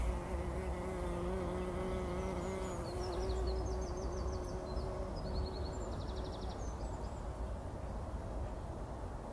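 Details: Bumblebees rolling in poppy blossoms to bathe in pollen, early morning before sunrise, 2019: a steady low humming buzz with stacked overtones for the first few seconds, fading out. Short chirping bird calls and a constant rumble of background noise.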